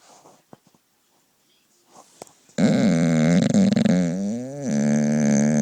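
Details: Sleeping dog snoring: after soft clicks and near-silence, a loud, steady, buzzy snore with a droning tone and rattling texture begins and runs to the end, dipping briefly midway.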